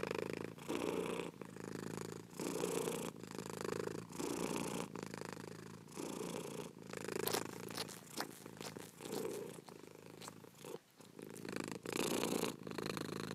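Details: A cat purrs in a low, vibrating rhythm that pulses with each breath, broken midway by some scratchy rustling noises before the steady purring resumes.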